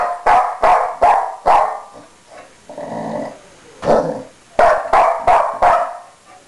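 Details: A pet dog named Blue, on a bed and upset that his bone is being taken, lets out rapid loud barks in two clusters separated by a low growling rumble.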